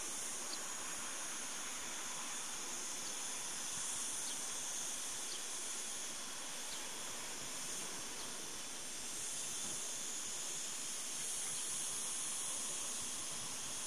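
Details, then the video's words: Cicadas in the morning of 26 August 2012 near Cortijo de Marín, Almería, Spain, sing a steady, high, hissing drone without a break while feeding on agave sap. "el canto de las chicharras 7 cortijos de marin almeria"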